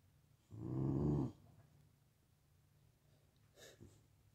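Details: An American Bully faces its reflection and gives one short, throaty growl lasting under a second. Near-silence follows, broken by a faint shuffle or tap toward the end.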